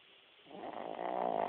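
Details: Sleeping dog beginning a snore, a rough buzzing rasp swelling from quiet to loud over about a second.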